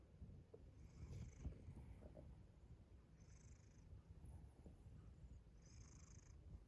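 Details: House cat giving a deep continuous purr with a few soft mouth clicks near 1.2 and 1.5 seconds; brief high hissing swells recur about every 2.7 seconds.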